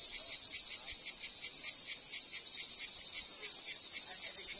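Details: Cicadas sing their summer song in a steady, high, hissing buzz that pulses about four times a second, at the archaeological site of Ancient Corinth, Greece.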